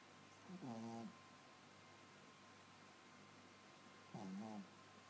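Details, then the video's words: Sleeping Yorkshire Terrier giving two nasal, wheezy snores with a slightly whistled tone, each lasting about half a second and about three and a half seconds apart, against steady low background hiss. "Snoring Yorkie"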